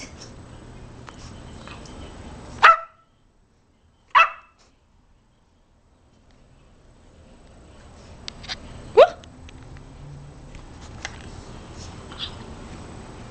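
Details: Ten-week-old female Boxer puppy barking during trick training after being told to sit; three sharp, clipped barks, two close together early on and a third several seconds later, over low steady background hiss.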